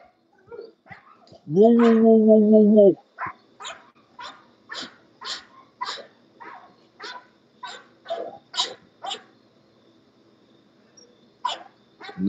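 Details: English Bulldog from a kennel raising guard and working dogs: a loud drawn-out tonal whine or howl lasting over a second, followed by a run of short sharp barks or yips, with people talking nearby.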